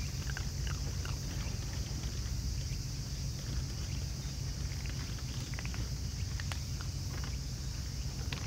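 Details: Raccoon dogs, a whole family feeding side by side, make sparse sharp crunches at an uneven pace. A deep continuous rumble and a high steady hiss run underneath.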